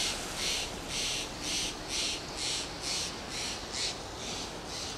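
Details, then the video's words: Lip calls of a fox squirrel perched on a Monterey pine in Del Monte Forest, California, a steady series of airy, sputtering bursts about twice a second over a soft background hiss. "Fox squirrel makes lip "calls""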